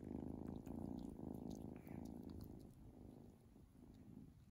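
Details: Male Domestic Shorthair cat available for adoption, a lap cat that purrs when picked up and snuggled; a steady low rumbling purr, strongest in the first two seconds and then fading softer, in a quiet indoor room.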